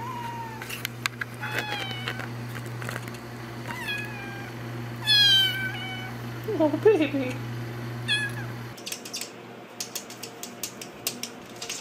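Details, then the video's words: Playful kittens indoors give a string of short, high, rising-then-falling meows, several close together mid-clip and a steadier, lower wavering cry after, over a constant low hum, clicks and a woman talking to them. "Top 5 Cute Kittens meowing & playing"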